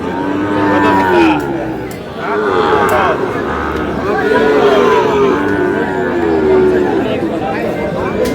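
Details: Young bull calves at a crowded cattle market in Madaripur, Bangladesh, on 4 August, bought by a farmer: several drawn-out, low, wavering moos rise and fall through the clip over steady crowd chatter and bargaining voices.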